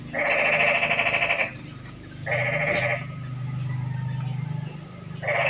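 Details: Rainy-night toad chorus. Two rattling, pulsed trills of about a second each, then a long pause before a third begins. A constant high-pitched hiss and a low droning hum run underneath.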